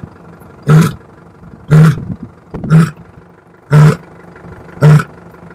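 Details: A lioness gives a series of five deep, loud grunting bursts spaced about one second apart, each short and heavy with low rumbling tones, over a quiet background.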